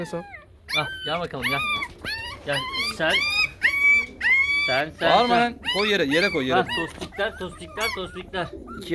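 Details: A litter of 15-day-old Chow Chow puppies, wriggling while being handled, cries in a rapid, irregular run of high, arching squeals and yelps, about one and a half per second. Occasional human speech is heard underneath.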